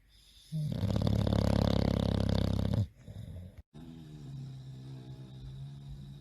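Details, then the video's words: Loud snoring from a tired, soundly sleeping bulldog: a long, deep, rattling snore of over two seconds, then a quieter breathy rasp and a faint low hum after a brief cut. "tierd bulldogs snoring"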